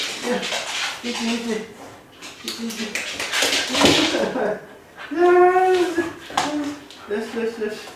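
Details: Kai Ken named Ichi, left home alone for about fifty minutes and crying the whole time. Broken, voice-like whines in short bursts, then a sustained, rich, wavering howl near the middle, followed by more short whimpers in a small room.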